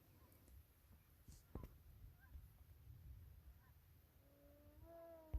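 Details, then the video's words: Beavers swimming around for several minutes, calling in what is described as their most common form of communication; faint scattered squeaks over a low murmur, then a drawn-out nasal, harmonic whine rising slightly near the end, closed by a sharp knock. "Beaver's making sounds"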